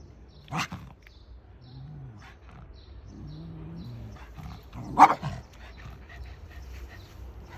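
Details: Bokdori, a pet dog out on a neighbourhood walk, gives two short, sharp barks, one near the start and a louder one about four seconds later, with low murmuring voices and faint outdoor background in between.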